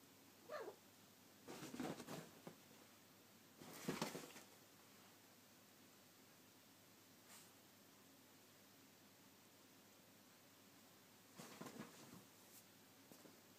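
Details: A 9-month-old female Egyptian Mau kitten gives a few short, breathy vocal bursts in a quiet indoor room.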